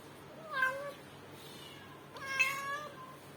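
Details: Indoor-born female kitten, 7.5 months old, timid and meowing or howling loudly and constantly for days; two drawn-out, harmonic meows, each rising then falling, about one and a half seconds apart, in a quiet room.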